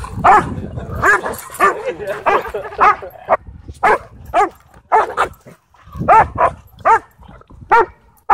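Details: Dogs playing wildly off leash at a dog park: a rapid run of loud, sharp barks and yips, bursts coming every half second or so with brief pauses, with faint human voices in between.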